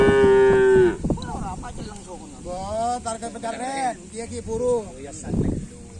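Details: Cattle at karapan sapi bull race training on the Asemanis field in Pamekasan: one long, steady, even-pitched moo lasting about a second opens the clip, followed by people talking and chattering over faint background noise.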